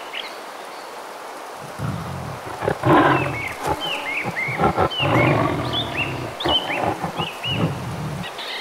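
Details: Roaring Bengal tigers in the Sundarbans mangroves of India: a low, throaty roar rises within two seconds and rolls on in heaving pulses, with bright bird chirps overhead and a constant rain-like wash behind.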